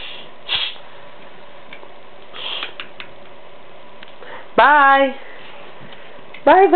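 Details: Young white Siberian Husky named Blizzard, 11 months old, talking back to his owner indoors: an arched, drawn-out harmonic yowl followed by a second brief rising cry, amid a person saying goodbye and soft background noise.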